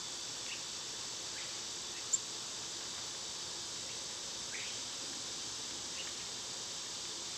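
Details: Summer cicada chorus, an unbroken high, sizzling buzz at even volume across the whole stretch, with scattered soft bird chips and one brief click partway through.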